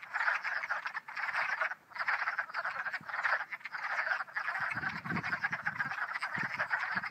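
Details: Spring peepers, hundreds gathered and singing in full chorus in spring; an unbroken, shimmering mass of overlapping peeping calls that swells and dips slightly, with some faint low rumbling later.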